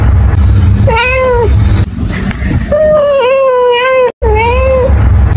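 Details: Three meows from a cat: a short falling one, then a longer wavering call, then a final rising-and-falling meow after a brief cut in the sound, with low rumbling noise underneath.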